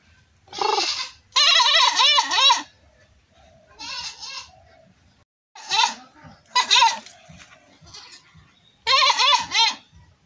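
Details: Goat bleating in a series of loud, quavering maa calls, some short and some drawn out over a second, with the voice wobbling up and down. Brief quiet gaps separate the bursts.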